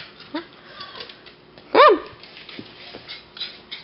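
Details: Boston terrier that escapes its cage at night, tearing down duct tape and climbing out: one sharp, loud bark in the middle, with fainter short yelps before it and quiet indoor noise throughout.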